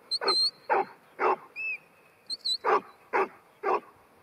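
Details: Ruby, a New Zealand Huntaway bitch aged ten months, delivers a series of strong barks about two per second, with short high whistles heard among them.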